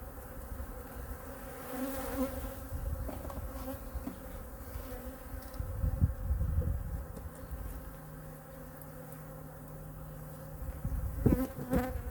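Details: Honey bees of hive #2 murmur during a weekly winter checkup and feeding: a steady, low hum sits under heavy rumbling and thumping from the inspection, with brief louder buzzing passes and a sharp clack near the end.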